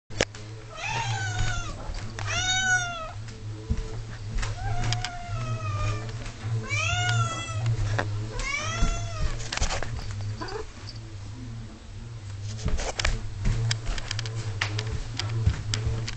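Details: Ming, an 11-year-old pet cat, whingeing at her 6 o'clock dinner time while waiting for food; loud, arching, strongly harmonic meows in a quick run of about six over the first nine seconds, then clattering and rustling noises.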